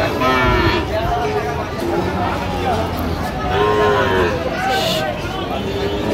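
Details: Sahiwal bull calves for sale to farmers in Barishal, recorded 22 September 2025: short bending moos near the start and middle, set against steady market voices and bustle.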